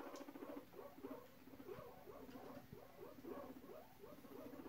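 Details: A guinea pig, wiggling its rear in a courting display, gives a low, vibrating rumble in quick repeated pulses, steady throughout.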